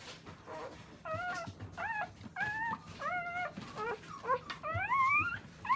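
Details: Newborn Akita puppies cared for by their nursing mother; a run of thin, wavering whimpers and squeals, each bending up and down, about one per half second, the last ones long and rising, with faint rustling beneath.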